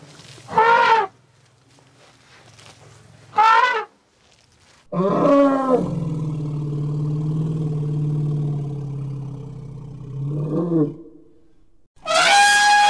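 Short, harsh, brassy trumpets from an elephant burst out at intervals. Between them a long, low, throaty rumble swells and holds for several seconds before breaking into another trumpet.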